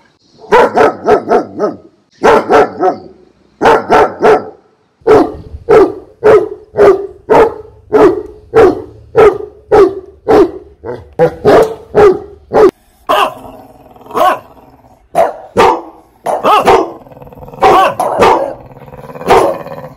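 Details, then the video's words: Dog barks from a compilation of fifteen breeds meant to make pet dogs react: loud sharp barks in quick bursts of two to four, then a steady run of single barks about one per second, later rougher and more varied. "Dogs Barking Sounds Compilation (See How Your Dog REACTS). 15 Breeds Loud Dog Barking Sound Effect."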